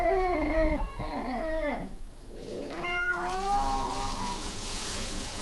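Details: Female cat in heat caterwauling to draw males: wavering, crying wails that dip and break, a brief pause, then a softer rising yowl fading under a faint hiss.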